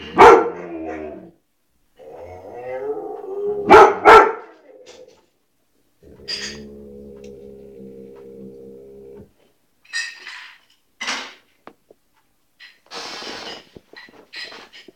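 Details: White shepherd dog barking in sharp broadband bursts, mixed with sustained whining moans and howl-like tones, pauses between outbursts and a few scattered shorter yelps near the end.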